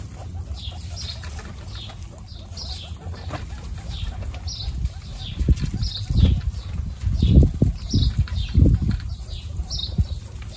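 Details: Guinea pigs greet the new babies Snow, Pistachio and Pumpkin in a group of 29. A run of high, downward-sweeping squeaks about once a second, with heavy thumps and rustling from handling in the middle.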